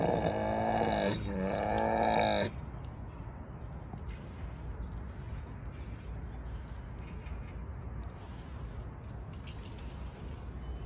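A tiger gives two loud, rich, moaning roars in quick succession, then only low background rumble remains.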